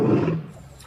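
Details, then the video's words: Lion giving a short, deep roar that starts loud and rough, then fades within half a second into a low tail. "Som de Leões"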